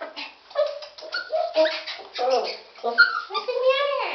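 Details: Dachshund mix dog whimpering indoors, giving a string of short tonal whines and yips, some rising then falling, about one and a half per second, in a small room.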